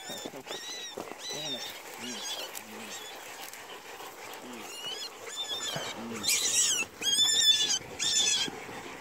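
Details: An Ibizan hound hunting gives high, yelping barks in irregular bursts, with a person talking nearby.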